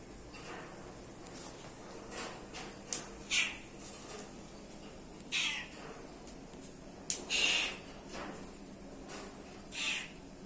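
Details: Mother cat guarding and cleaning her kittens; about six short, high-pitched mews come at uneven intervals over a low steady background hum.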